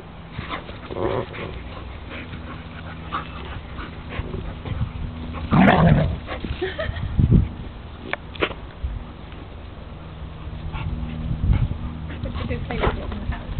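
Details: Dog meeting another dog. It gives a few loud, abrupt yelping barks in the middle stretch over a steady low hum, with quieter scattered sounds before and after.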